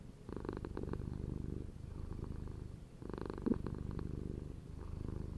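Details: A domestic cat purring steadily in a low, rumbling, pulsing drone, with brief louder surges and short pauses between breaths.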